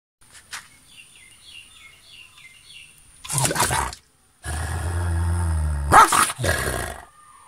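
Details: Angry guard dog, kept caged by day and released into a fenced area at night, baring its teeth to scare away intruders and protect its territory; faint bird chirps first, then bursts of deep rumbling growl, a brief pause, and a sustained snarl.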